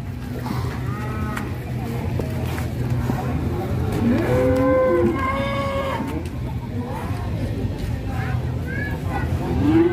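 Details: Rampaging plough cattle in Indonesia: a strong, wavering bellow in the middle, faint lowing before it and a rising call at the end, all over a steady engine-like hum.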